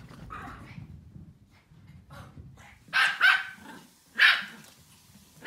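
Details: A group of Pomeranian puppies barking, with a female Pomeranian among them: low soft grumbling sounds at first, then sharp, high yappy barks, a quick double bark, another single bark a second later and one more at the very end.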